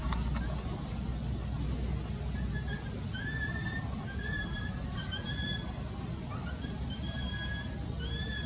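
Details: Baby monkey in pain from its eye, crying: a run of thin, whistled wails, each slightly rising then falling, repeated about once a second through the clip, over a steady low rumble.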